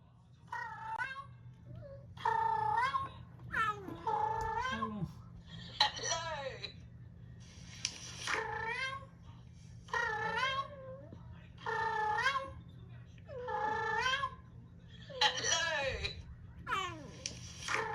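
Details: Cat sounds played to a frightened rescued cat that hides under the bed and hisses a lot, recorded around February. A series of about nine drawn-out, bending meows comes in spaced bursts over a faint steady hum.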